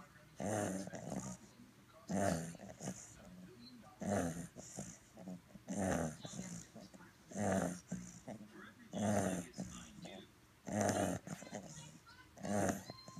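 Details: A 10-week-old purebred fawn English Bulldog puppy sleeping indoors, snoring steadily; loud raspy snores roughly every one and a half to two seconds, each a broad noisy rumble with a quieter breath between.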